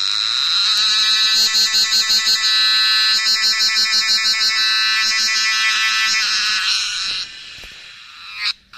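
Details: Cicada singing in the Himalayan hills of Nepal during wild mushroom foraging: a loud, harsh, buzzy drone throbbing in rapid regular pulses for about seven seconds, then breaking off abruptly into quieter rustling.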